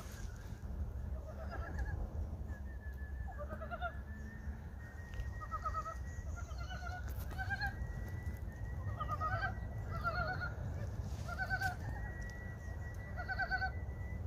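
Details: Frogs calling at Gyeongchip, the early-spring seasonal day when, by a Korean proverb, frogs' mouths open. Short clucking, warbling notes come in clusters every second or two over a steady high whine and a low rumbling background.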